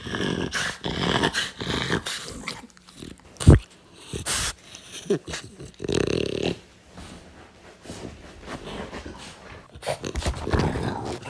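A French Bulldog sounds off with short, deep barks, rumbling growls and snorts, reacting to strange noises. People laugh and talk nearby in a small room.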